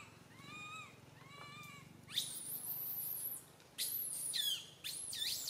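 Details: Little monkey Santo on a tree branch, crying so loudly mother Sara cannot care for him; two soft arched wails, then long, very high, strained screeches that rise and fall.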